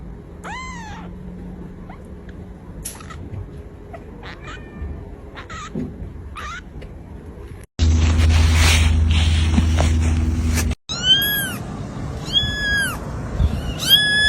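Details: Kittens in a compilation of cute pet moments give short arched meows near the start and a run of rising-falling mews at the end, broken in the middle by a burst of loud noise.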